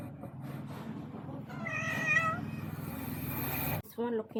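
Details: Strange-sounding male visitor cat, looking for a female and upset after eating food, gives one strained, level meow lasting about a second over steady low hum and human voices, then a short second cry at the end.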